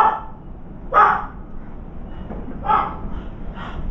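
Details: Dog barking near a veranda as a round-foreheaded crow perches on the left; two clear rough barks and a fainter third, irregularly spaced, against constant low-pitched background noise.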